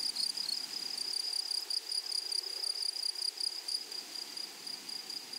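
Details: Grasshoppers in a flowery meadow: a steady high, thin, ringing trill made of rapid pulses, holding one pitch with a faint higher overtone, continuous for the whole stretch with no other clear sounds.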